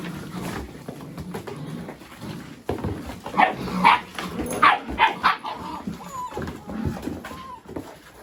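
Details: Several Mini Goldendoodle puppies at play among boxes, chasing and rolling together; a quick run of high barks and yelps clusters mid-way, followed by thin rising whines, with rustling and scrabbling throughout.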